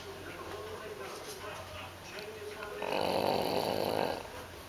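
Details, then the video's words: Katie, an English bulldog puppy, sleeps after a busy day cooking out with friends on the 4th; soft raspy snoring breaths give way to a louder, broad snorting breath lasting about a second, then quieter breathing. "English Bulldog Puppy Snoring"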